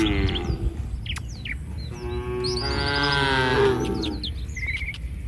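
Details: One cow in a roaming herd of village cattle on a street lets out a long, steady moo of about two seconds, preceded by a brief lowing, while birds chirp and twitter above a low hum.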